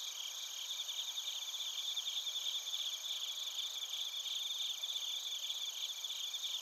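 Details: Chorus of bell crickets and other crickets in Narita, Chiba Prefecture, Japan: high, tinkling pulsed chirps repeating quickly over a constant piercing ring from many insects, even in loudness throughout, recorded on a TASCAM Portacapture X8.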